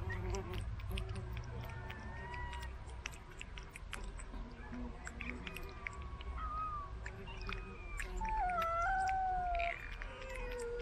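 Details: A pet cat being fed treats delivered by a remote-controlled car gives several wavering, falling meows late in the clip, over steady low background hum and scattered clicks.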